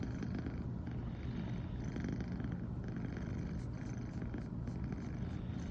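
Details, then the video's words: Female brown tabby American Shorthair cat purring continuously in the morning after first sleeping together with her owner; a steady low rumbling throb fills the clip, with faint rustling above. "初めて一緒に寝たら、朝からゴロゴロが止まらなくなりました笑。【Cat rumbling sound】"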